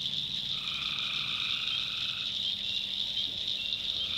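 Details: Nighttime tree frog chorus in a swampy North Carolina backwoods: a shrill continuous drone, with one long steady trill lasting roughly a second and a half near the start, then the chorus alone.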